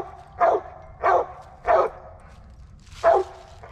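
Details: Squirrel-hunting Original Mountain Cur giving a series of four strong, chopped barks spaced roughly every 0.6 seconds with a short pause before the last, at dusk near hickory flats and black walnuts; faint outdoor hiss behind.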